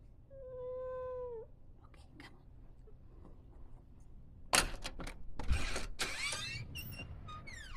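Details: A big, eight-year-old retired female silver tabby Maine Coon weighing 17 lb gives one clear, drawn-out meow, steady in pitch with a slight fall at the end, asking to go outside.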